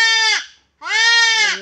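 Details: During castration a goat gives two loud bleats, the first dropping off at its end, the second rising then held steady and strained.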